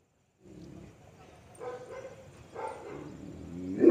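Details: Puppy giving soft, short whimpering yelps about once a second over a quiet hiss, the last one louder and rising in pitch.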